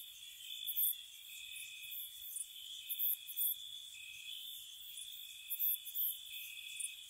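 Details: Crickets chirping on a spring night near a cottage: a steady high shimmering trill with two layered pitches, overlaid by brief very high chirp bursts in clusters roughly every second, with no other sounds.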